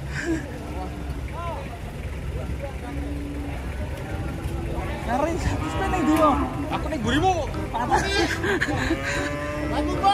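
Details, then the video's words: Cattle being unloaded from a truck, lowing in long harmonic moos that rise and fall, several calls across the stretch, over a busy background of music, engine rumble and people talking. "SAPI LUCU TURUN DARI TRUK"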